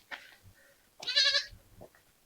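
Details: Goat (Capra hircus): a lone young kid in a goat pen beside a forest village cries out with a high, wavering bleat, frightened by an approaching stranger, on a hot sunny day.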